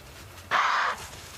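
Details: A male impala on an evening safari drive gives a single loud, harsh snort-like shout resembling its alarm call but not one, probably from frustration as the females won't mate with him.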